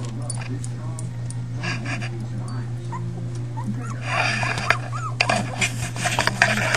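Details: A litter of five puppies, Patches, Chunk, Pipa Squeak, Blaze and one unnamed, gives thin, rising-and-falling squeaky whimpers that grow busier in the second half, over a steady low electrical hum, human speech and shaky handling noise.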